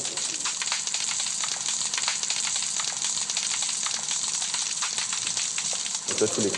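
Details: Shrimp heard on a submarine's sonar, played back by the sonar operator aboard the French ballistic missile submarine Le Terrible, where they are heard fairly regularly; a dense, steady crackling of countless tiny bursts, like frying, continuous throughout.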